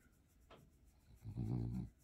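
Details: Bob, a blue 2-year-old French Bulldog being petted indoors, lets out a low rumbling grunt of about half a second after a faint click, with soft room hush around it.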